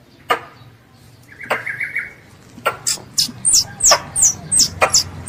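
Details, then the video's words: A squirrel, described as a pest, calls for its mother. Scattered clicks and a brief buzzy trill lead into a quickening series of thin, high, falling chirps. "THE SOUND OF A SQUIRREL CALLING ITS MOTHER"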